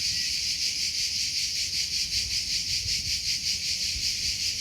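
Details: Steady, high-pitched cricket chirps pulsing evenly, roughly two or three beats each second, over faint low background noise.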